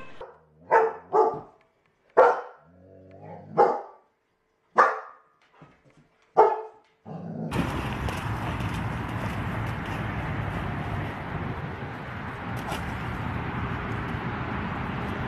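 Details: German Shepherd in Haryana, India, giving a run of loud, separate barks spaced irregularly about a second apart over the first seven seconds, followed by steady broadband rushing noise with no barking.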